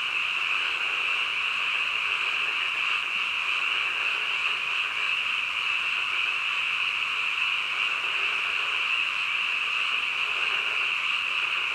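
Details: Frogs croaking at midnight in an unbroken chorus. A steady, high, ringing drone carries on evenly across the whole stretch, with faint pulsing texture and nothing else audible.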